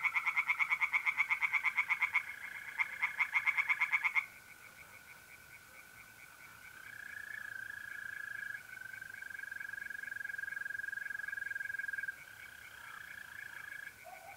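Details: Tree frogs singing in a pond on an April night in North-East Italy: loud, rapid pulsed croaks for four seconds, then a softer pulsed chorus over the steady, even trill of mole crickets.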